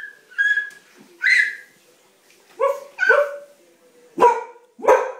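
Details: Shadow, a pet female dog, barking at home during playtime while a baby giggles; six sharp, bright barks at irregular intervals, some with a steady high tonal trace between them.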